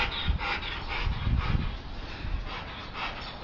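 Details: During attack and bite training a dog breathes in fast, steady panting bursts, roughly two per second, with a low thudding background and a sharp knock at the very end.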